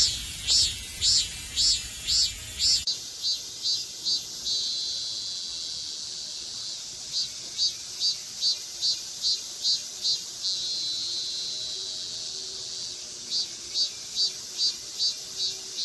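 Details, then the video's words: Two Meimuna mongolica cicadas on a maple in Seocho Culture Arts Park. A brief low rumble opens, then a shrill call repeats in rapid pulses about twice a second, broken by a long continuous high trill. "매미소리 듣기"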